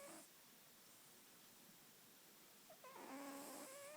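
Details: Snoring female domestic cat. A breath trails off at the start, then a quiet pause, then one fuller nasal, harmonic inhalation of about a second near the end. Background room noise is steady.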